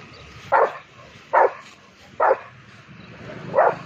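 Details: Rottweiler reacting angrily to a cow, four harsh barks spaced roughly a second apart over a steady low rumble of background noise.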